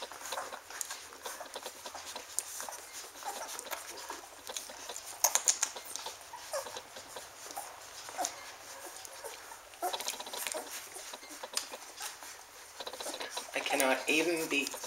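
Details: Standard Poodle puppies, fat and happy, nursing on 5 June 2014: a steady rapid patter of soft wet suckling clicks throughout, with a brief squeaky whimper rising and falling near the end.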